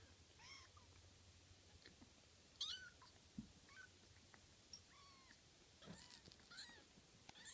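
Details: Several kittens frolicking, with short high meows at intervals, some rising and falling, scattered over a quiet indoor background with a few soft knocks and rustles.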